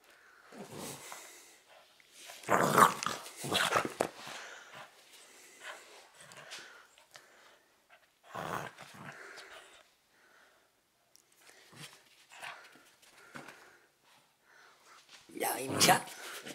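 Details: Cavalier King Charles Spaniel fighting over a favourite teddy bear during play training: bursts of harsh, rumbling growls and snarls, loudest around the third and sixteenth seconds, separated by quieter grumbles.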